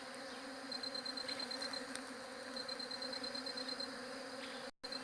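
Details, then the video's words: Continuous low bee drone captured with a J7 Galaxy Prime2 phone, steady and layered, with two runs of fast high ticking pulses and a brief dropout near the end. "SOM DE ABELHA"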